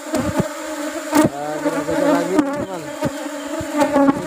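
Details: Colony of Apis cerana honey bees at harvest time while rubber trees bloom; a thick, even buzzing drone with bright overtones, short gliding whines, and several sharp taps from handling the hive.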